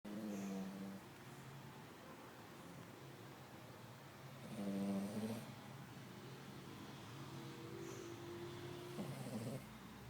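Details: Female Poodle snoring while asleep after a day of dog activities on a small farm; low, rough snore bursts near the start, middle and end, with faint hum between breaths.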